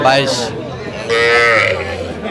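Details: One short, low moo rises out of market noise in the second half, from young cattle (bulls and heifer calves) being sold in Faridpur, Bangladesh, on 11 November 2025; voices talk over the start.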